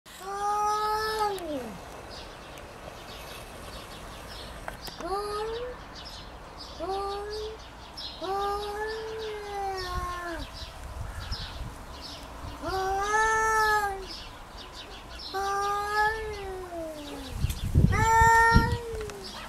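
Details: Domestic cat named Kitty in a territorial fight, giving drawn-out harmonic yowls that rise and fall, repeated roughly every two seconds with short gaps, outdoors with faint background noise.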